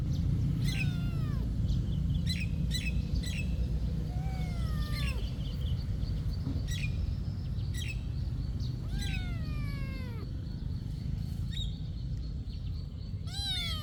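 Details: Cat at a monastery, short falling meows scattered across the stretch, a few in quick pairs, over a steady low background rumble.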